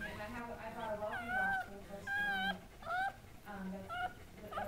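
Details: Goldendoodles at a breeder's home as the mother, Sandy, gives birth to seven puppies: high, wavering squealing whimpers rise and fall in short bursts about a second apart, with soft human speech underneath.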